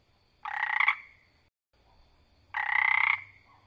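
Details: A tree frog croaking in the wild gives two rasping, pulsed croaks about two seconds apart.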